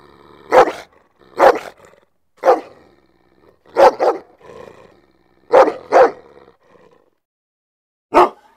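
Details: Dog barking in short, sharp, harsh bursts, about eight barks at irregular intervals, some in quick pairs, with near silence between them and a longer pause before the final bark.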